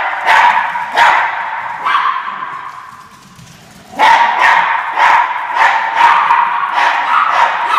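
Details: Norfolk Terriers bark while chasing the orange fox: a few sharp yaps, a short lull, then a fast, uneven string of high-pitched barks continuing to the end.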